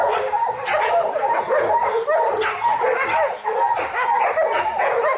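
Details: A pack of Kishu, including young dogs and Joe, Takeshi, Rin and Momo with local dogs, works boar in Japanese hunting training in 2010. Excited barks, yips and whimpering cries tumble over one another.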